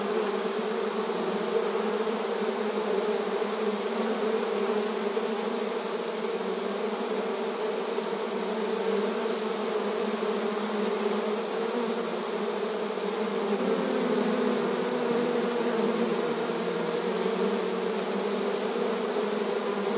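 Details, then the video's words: Busy honey bees flying in front of the beehive entrance; a constant, thick buzzing drone of many wings, with a slight shift in the low hum partway through and a steady hissing shimmer overhead. "Bees Buzzing Sound Effect • Beehive Entrance Video Honey Bee Activity"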